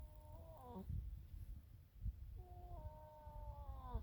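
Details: Sleeping baby donkey snoring: two drawn-out whining tones that bend downward at the end, separated by a gap of low rumbling breath noise.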